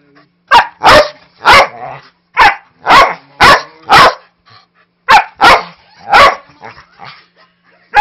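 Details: Play barking from a 5-year-old Manchester Terrier mix wrestling a 3-month-old husky lab mix puppy named Jude: loud, harsh barks in uneven pairs and triplets, aggressive in tone yet playful, separated by short silences.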